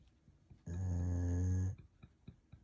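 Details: A single deep, droning snore about one second long from a golden retriever enjoying an afternoon nap indoors, surrounded by soft, ticking breath sounds before and after.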